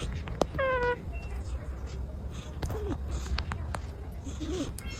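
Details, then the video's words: An orange cat napping makes squeaky sounds in its sleep: a short clear squeaky cry near the start, followed later by two soft, brief falling squeaks against a quiet room with light rustling. "This Cat Sleeps… And The Sounds Will Make You Laugh"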